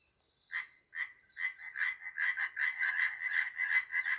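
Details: European tree frog in Poland, a species living in trees and shrubs: sharp, clacking croaks starting sparse, then speeding into a fast, continuous rapid series of several calls per second.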